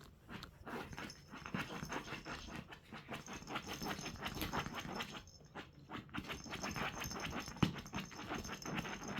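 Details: Puppy, a rescued dog, tearing at a cushion, breathing in rapid rhythmic pants for several seconds amid rustling and thumping, with a faint steady high tone and one sharp knock near the end.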